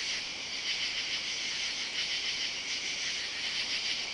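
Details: Night chorus of katydids among side-yard oaks on a summer Saturday, July 31, recorded while walking; a high, loud raspy hum with faint rhythmic surges and nothing else audible.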